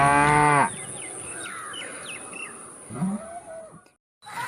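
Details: Cow giving a single short moo with a loud, harmonic-rich opening under a second long, followed by several chirping birds and a faint low moan near the end, with a steady high whine throughout.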